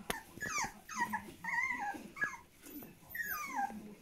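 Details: German Spitz (Großspitz) puppies on their 30th day of life: a run of high, whiny yelps that slide downward, several drawn-out descending whimpers in quick succession with brief pauses between.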